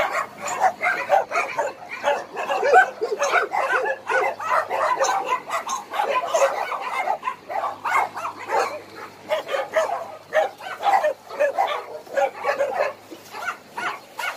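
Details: Many abandoned dogs at Hanna's rescue shelter in Daegu, South Korea, barking together in a dense, overlapping chorus of short, mid-pitched barks and yips that continue without pause for about fourteen seconds.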